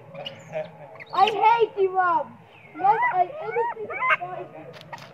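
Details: Sweet Pea, a spoiled, very hungry baby monkey, screams loudly for milk as its mother pays little attention; a run of loud, harmonic wails that slide downward, several in quick succession, with a low background hum.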